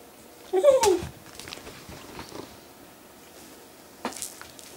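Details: Male longhaired dachshund begging his owner for food, acting as if starving: one short, wavering, high whine that dips and rises, then quiet room noise and a faint tap near the end.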